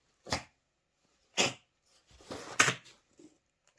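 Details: White Japanese Spitz puppy named Sandy sneezing indoors: two short sharp bursts about a second apart, then a longer rustling huff ending in a third sneeze, with a woman's voice nearby.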